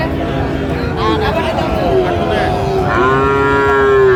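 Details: Several Friesian and crossbred bull calves at Raniganj market, Dinajpur, Bangladesh, mid-January 2025; overlapping moos, the last one long and steady, heard over crowd chatter and market noise.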